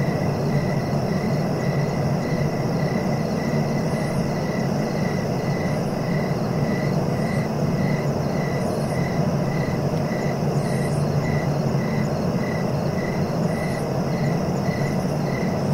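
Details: Cricket sounds meant for sleeping: a regular train of brief chirps, a little over two per second, ride above a steady high hum and a dense low rumble, with faint higher chirps at intervals.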